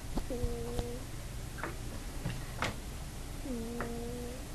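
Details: Pet cat, a female asleep on a bed, lets out two sustained, nasal, tonal snores with a slight rise at the start, compared to farts, amid scattered clicks and taps indoors; captured on an iPod.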